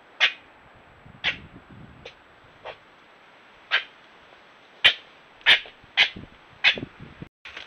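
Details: Red fox clashing with a patient European badger in Ireland, caught on trail camera: scattered sharp rasping cries, sparse at first, then five louder screeches in quicker succession toward the end, with faint low rustling.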